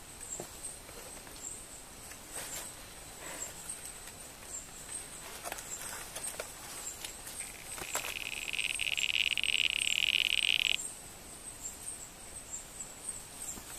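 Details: Fighting male Barrington's tree frogs, one purring while the pair wrestle over a calling site; scattered clicks, then a loud sustained buzzy purr for about three seconds before stopping abruptly, with high-pitched insects droning throughout.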